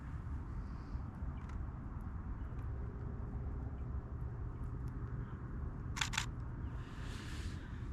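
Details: Steady low outdoor rumble of wind or distant traffic, with two sharp camera-shutter clicks near the end and no animal voice.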